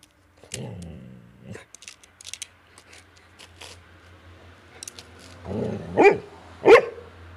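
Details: A dog suspicious of a slow, out-of-the-ordinary bee it is investigating: a low rumbling growl-like sound at first, scattered small clicks and knocks, then two short, sharp barks close together near the end.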